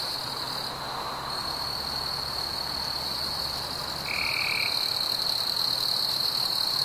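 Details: Crickets keep up a steady, high-pitched ringing trill on a warm, quiet summer evening among fireflies.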